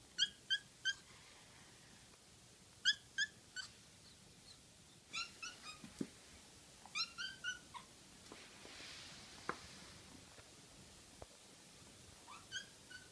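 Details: Pet kitten kept at home, giving short, sharp 'kya, kya, kya' cries in quick bursts of two to four. The high, clipped notes are repeated irregularly across the recording in a quiet indoor space, with faint knocks in between.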